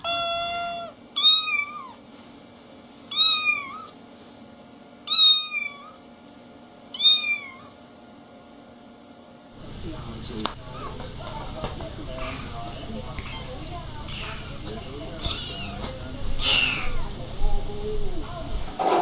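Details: Kittens at play with their mother. Four short, bent meows come about two seconds apart, each with a quick rise and fall. They are followed by several seconds of rustling, clattering noise.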